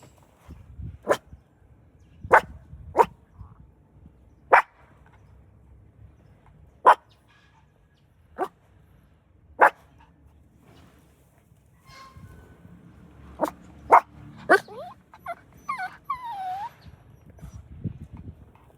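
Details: A puppy jealous of a rival dog over its favourite human barks in the car: single sharp yaps spaced one to two seconds apart, a quicker cluster near the end, then a brief rising-falling whine.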